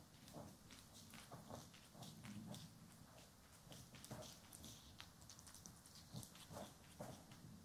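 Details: Domestic cat purring while being brushed and groomed, one of two pet cats named Poki and Kiwi, recorded indoors in stereo: a low, steady rumbling purr under frequent crisp scratching strokes of the brush, no talking.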